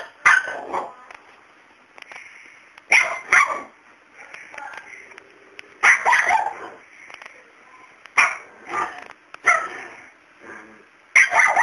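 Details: Dog barking at an unafraid cat that does not back down: sharp, loud single and double barks arriving in bursts about every two to three seconds, separated by quiet gaps, with faint indoor sounds between.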